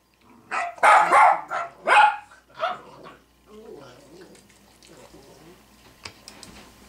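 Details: Female Cavalier King Charles Spaniel barking at another Cavalier shown on a screen: a burst of three or four loud, harsh barks in the first two seconds, then quieter muffled sounds and faint background noise.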